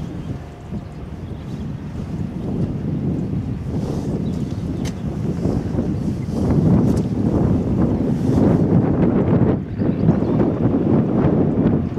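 Steady wind rumble and boat or harbour noise fill the recording, with no clear animal calls.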